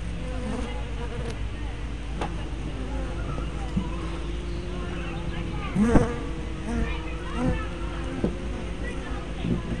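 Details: Steady low hum of honey bees at the entrance of a hive, captured on 24 May 2012 by a spy cam fitted with a fisheye lens; passing bees add brief rising and falling buzzes, loudest near the middle.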